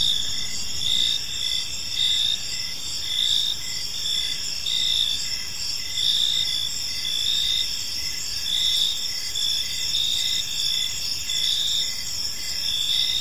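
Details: Evening cricket chorus in a peaceful park: dense, high-pitched pulsed chirps from multiple insects overlapping without pause, over a faint low rumble of ambient noise.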